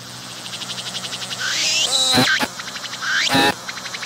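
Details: A singing cicada filmed at close range on a tree trunk, its abdomen pumping as it calls; a rapid buzzy pulse train builds, then breaks into loud rising and falling sweeping notes, with another buzzy burst near the end.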